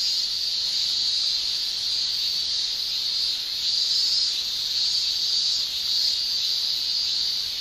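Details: In Japan in summer, male cicadas keep up a dense, sizzling whine from their tymbals, steady in pitch. The volume rises and falls in slow, gentle waves, with no other voices heard.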